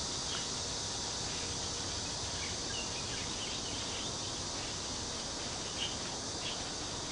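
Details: A cicada chorus in a park near Cheng Ching Lake in Kaohsiung, heard as a continuous, even, high-pitched buzzing drone with no pauses and faint scattered chirps layered beneath.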